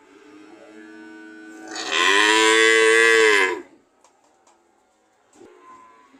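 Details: Quiet low lowing swells into a strong, steady moo of almost two seconds from a cow, followed by faint rustles and a soft murmur.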